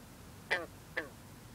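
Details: Green frog, also called bronze frog, singing on a cool, humid night as mist rises off the water; two brief banjo-like twangs about half a second apart, each with stacked falling overtones, over a low steady background hum.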